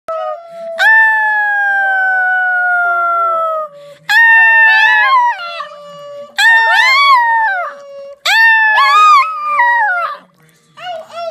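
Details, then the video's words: A 15-year-old poodle singing indoors. It gives a long, steady, drawn-out howl, then three shorter wavering howls that rise and fall in pitch. Brief quiet gaps separate the notes, and a clipped final note ends the passage. "15 year old poodle Jake singing"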